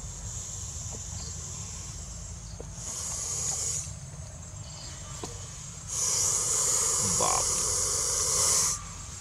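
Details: A Russell's viper, about to be released into the forest, gives two loud, breathy warning hisses, the second longer and stronger.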